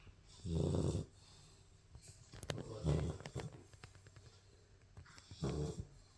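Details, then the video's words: Sleeping Labrador Retriever puppy snoring: three low, throaty snores spaced roughly two and a half seconds apart, separated by faint breathing and small rustles. "puppy snoring"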